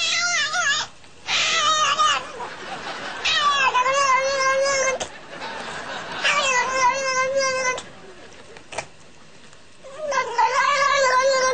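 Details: Cat caterwauling in long, drawn-out, wavering yowls, each lasting one to two seconds and bending up and down in pitch, repeated several times with short pauses and a hissy background between them.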